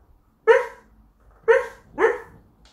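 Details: Border collie, indoors, apparently having a nightmare while asleep: three short muffled woofs, the first two about a second apart and the third half a second later, with a quiet room between them.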